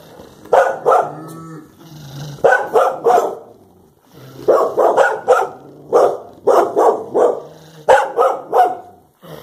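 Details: Blanche and Daisy, Clumber Spaniels facing a cow, bark in rapid groups of two to four, steady and insistent throughout, with a faint low hum between bursts.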